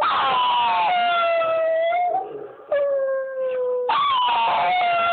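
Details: Little part-Chihuahua female dog joining in with a recorded dog's howling: long, drawn-out, gently falling howls in several overlapping phrases, with a brief quieter gap midway before a strong renewed note.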